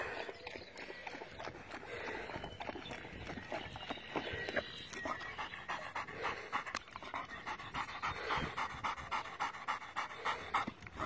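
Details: Doberman Pinscher panting, shown in connection with checking a dog for dehydration; rapid breathy pants repeat about three to four times a second, fairly steady throughout, with faint background noise.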